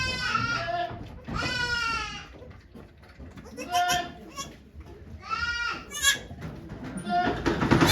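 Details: Farm goats at Yoshigake, Japan, 3 May 2023, as Okayu gives birth to twins: three strained, quavering bleats rise and fall in turn, mixed with soft human voices and rustling in the birthing pen.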